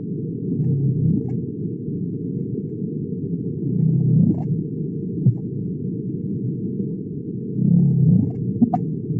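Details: Gray whales give low, rumbling, purr-like calls that swell and fade in slow pulses.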